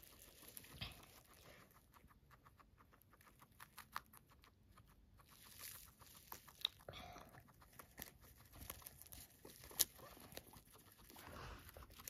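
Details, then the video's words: Max, a pet guinea pig, crunching on fed grass: a quick series of soft dry clicks and crisp crunches, irregular in rhythm, some bunched into short bursts, with occasional louder snaps over a quiet background. "I feed Guinea pig Max grass, he crunches"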